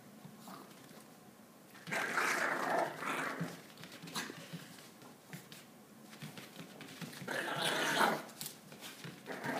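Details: Josh, a Maltese dog, spinning on a yoga mat while exercising by himself; two rough, grumbling growl bursts, one near the start and a longer one later, over a quiet room background with soft scuffing.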